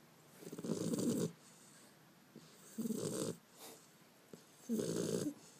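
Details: Bender the Beagle puppy snoring in his sleep, 5 February 2012: three grating, fluttering snores, the first and last longest, spaced about two seconds apart, with soft breaths between.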